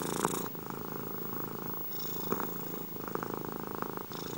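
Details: Domestic cat purring in an ASMR recording, a dense vibrating rumble rising and falling in strength with the breathing, with a few faint soft clicks along the way.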